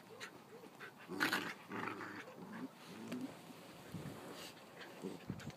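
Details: Play-fighting dogs give short low growls and grumbles in uneven bursts, with a louder snarl early on and faint scuffling between.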